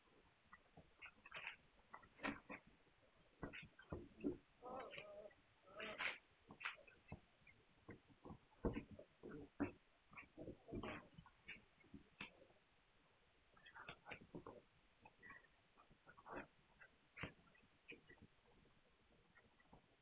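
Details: Hungarian Vizsla puppies recorded on 9 March 2021: a busy run of short, high squeaks and whimpers from a litter, overlapping and coming in quick irregular bursts with faint shuffling between them.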